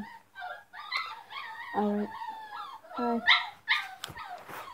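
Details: Several dogs sounding off loudly: high whining calls that rise and fall in pitch tumble over one another, broken by a few short sharp yips near the end.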